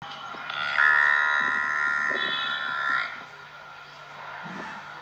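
A buffalo calf gives one long, steady, nasal bawl, held level for about two seconds.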